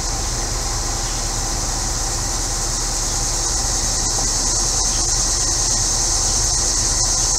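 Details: Central Illinois cicadas on a hot day: an unbroken, shrill, high buzzing drone filling the whole stretch, with a neighbour's air conditioner humming low underneath.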